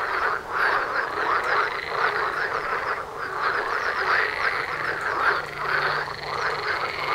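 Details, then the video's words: Many frogs calling at once just outside a house door, a thick steady wall of rasping, quacking croaks pulsing rapidly and overlapping throughout, with slight swells in loudness. "Froschkonzert vor der Haustüre"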